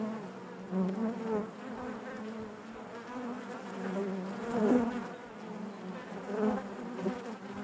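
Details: Dense buzzing from a honey bee colony within the hive, a continuous low hum with bright overtones that rises and falls gently, peaking briefly around the middle.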